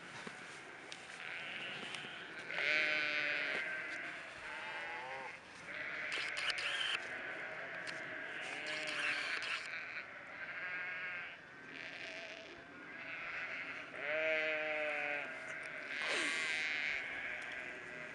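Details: Flock of sheep on migration, many animals bleating in overlapping, wavering calls with clear harmonic stacks, several loud bleats near the middle and end, over a steady background hiss of the moving herd.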